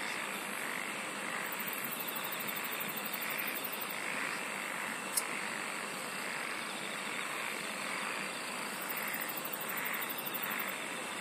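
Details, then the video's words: Dense insect song fills the air as a continuous buzzing drone with a thin high whine above, joined at times by faint rapid pulsing bursts at the very top. "SINGING OF INSECTS"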